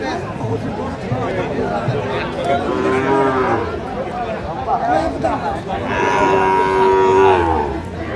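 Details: Sahiwal bull calves for sale at a Faridpur, Bangladesh livestock market, 11 March 2025; two long, level lowing calls about three seconds apart, the second louder and lasting nearly two seconds, amid people talking and market noise.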